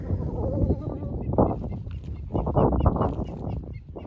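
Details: Several hyenas feed on the remains of a buffalo carcass after waiting all night for lions to leave, stripping the bones. Overlapping low moaning growls and short nasal squeals rise and fall, with bursts around one and a half and two and a half seconds.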